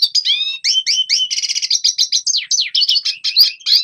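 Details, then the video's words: Song of a red siskin, used to teach young birds to sing: a lively stream of quick chirps, slurred whistles and a buzzy trilled passage in the middle, with notes running together without pause. "Red Siskin Singing Best Song Training - Yellow siskin tập cho chim non hót"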